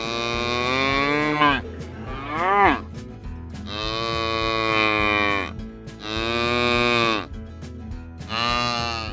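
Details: Repeated bellowing from cattle at a livestock auction: four drawn-out moos, one with a rising then falling swoop, separated by short gaps while rhythmic background music plays throughout.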